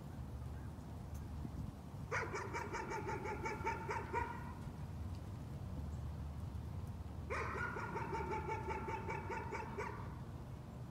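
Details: Dog barking as a nuisance: two tight bursts of rapid, evenly spaced barks about two seconds long, roughly five seconds apart, with a low droning hum between them.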